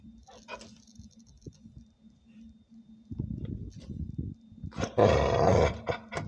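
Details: Kira, a dog facing off with a praying mantis, gives low rough growling from about three seconds, then one loud, harsh bark burst near the five-second mark. A steady low hum and scattered clicks run underneath.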